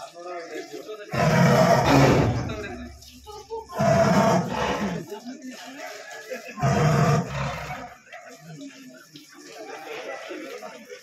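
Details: Caged tiger from Chiral in Wayanad, just trapped, gives three deep, rasping roar bursts roughly every two to three seconds. Each lasts about a second. Quieter human talk fills the gaps between them.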